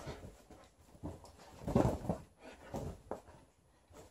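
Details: Female Alaskan Malamute named Liza wrestling her old fish toy inside while shedding; a short deep growl rises and fades amid scuffling and breathy grunts, room sounds faintly behind.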